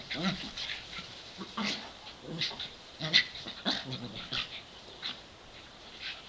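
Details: Two dogs, aged 7 and 8, one brown and one white, playing together in a sunny back yard. Short bursts of panting, huffs and growly yips come in quick clusters, with brief pauses between.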